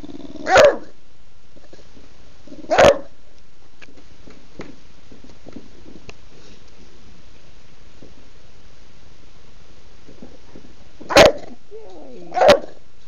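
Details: Female pet bulldog demanding her dinner on a Sunday at home: four abrupt barks, a pair early and a pair near the end, with a short whine after the final bark and quiet between.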